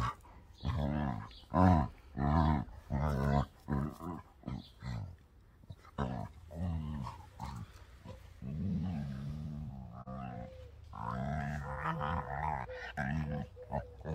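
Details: Dogs in close physical contact: a Labrador of just over 12 years, Beertje, with a 2-year-old German Shorthaired Pointer, Dakota. Deep harmonic growls come in rhythmic bursts, then give way to longer, steadier moaning growls with a faint tonal hum behind them.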